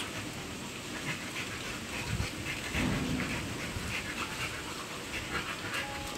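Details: Two Boxer dogs, Toto and Cherry, playing together: quick breathy panting bursts repeat irregularly, with a short low growl-like tone near the middle. Steady hiss throughout.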